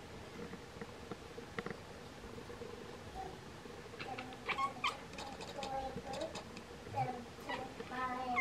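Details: Two Bengal cats chirp at swallows that are getting ready to migrate; quiet at first, then a run of short, clipped chirps and chattering notes from about the middle onward, with a low steady hum underneath.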